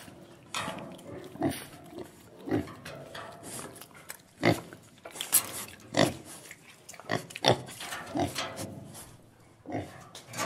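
A pig gives rough, throaty grunts and snorts in irregular bursts, a few seconds apart.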